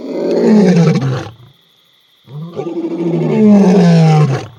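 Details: A male lion (Panthera leo) on safari gives two deep, powerful, intense territorial roars, advertising his territory to rival males in the area.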